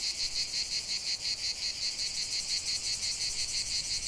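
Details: Cicada chorus outdoors, a shrill grating buzz throbbing in quick regular beats, nearly three per second, loud and unbroken throughout the short stretch.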